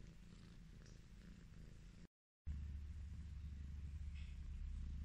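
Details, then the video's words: Purring Highland Lynx cat, Chucky, being petted; low, even rumble interrupted by a brief silent gap, then resuming slightly louder and deeper. "The relaxing sound of a cat purring"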